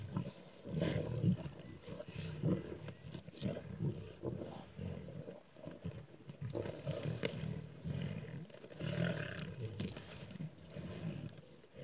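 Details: Pride of six lions feeding on a warthog just caught at dawn on Kwandwe Private Game Reserve, Eastern Cape, South Africa, filmed on a phone; deep rumbling growls and snarls pulse repeatedly as the lions fight over the meat.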